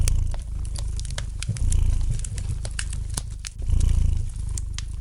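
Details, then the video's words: Domestic cat purring gently beside a fireplace, a deep, steady rumble that swells and fades with each breath about every two seconds, while sharp pops and light crackles from the burning fire punctuate it. "Relax to the gentle purring of the cat and the light crackling of the fire in the fireplace!"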